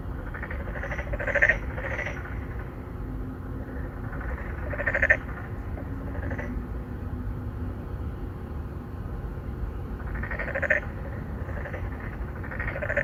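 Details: Narrow-mouthed frogs courting at an apartment-complex pond, Songdo, Incheon, Korea, 2019, phone recording: loud harsh croaks in clusters near the start, middle and end, with quieter distant calls and a faint steady tone amid low rumble.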